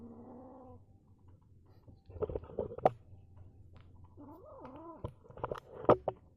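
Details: Angry male kitten makes a weird sound: low, wavering, tonal yowls that bend up and down, broken by sharp clicks and scuffling noises.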